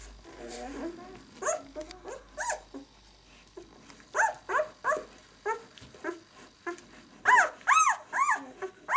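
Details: White German Shepherd puppies aged six days, B litter "of White Night": after a low murmur at the start, repeated short arched squeals come roughly twice a second, loudest near the end.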